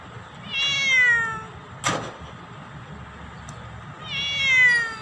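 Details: Black domestic cat meowing loudly at its owner: two drawn-out, falling meows with rich harmonics, one near the start and one at the end, with a sharp click between them and a faint low hum behind.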